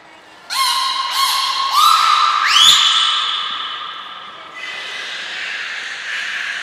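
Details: Training session for aquarium belugas Hodoi, Gray, Nana and Niko at Port of Nagoya Public Aquarium, 5 June 2021. Three quick, rapidly repeated harmonic chirps lead into a bright whistle that sweeps upward and holds, then fades into a softer, buzzy tone.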